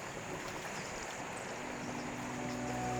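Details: Dense, even hiss like flowing water or engine noise fills the recording, with faint steady hums and no animal calls.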